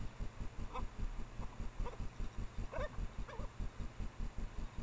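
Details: Japanese badgers, a female in heat and a male, mating out of sight near her sett in secondary woods, captured by trailcam around midnight in late April: several short, wavering, bent yelps over a steady low rhythmic throbbing.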